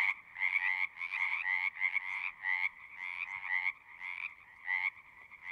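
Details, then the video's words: Frogs singing in a natural setting, a loud chorus of rasping, pulsed croaks in two bands, bursts overlapping and starting and stopping roughly every half second to second, no other sounds. "One hour of singing frogs."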